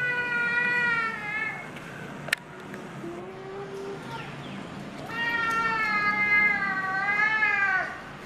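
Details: A wary staircase cat, fed by a volunteer feeder, meowing loudly and affectionately: two long drawn-out harmonic meows, the second wavering in pitch, with a short lower sound between them over steady background hum.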